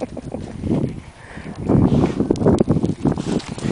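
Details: Wind buffets the microphone beside the Delaware River in the Pocono Mountains, with low rumbling water and outdoor noise but no clear animal call.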